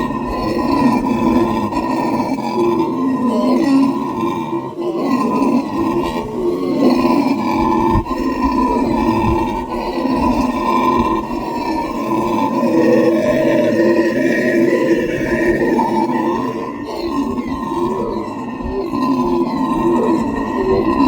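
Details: Howler monkeys making a loud, prolonged din of guttural roars and grunts, a rough pulsing drone rising and falling in waves without stopping.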